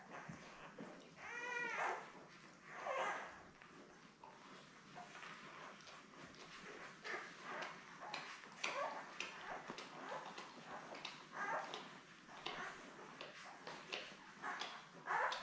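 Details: Seven Labrador Retriever puppies, born May 24, 2021, lie with their mother Belle on a June 3 puppy cam; two sharp rising-and-falling squeals stand out early, followed by soft whimpers amid steady rustling and suckling clicks.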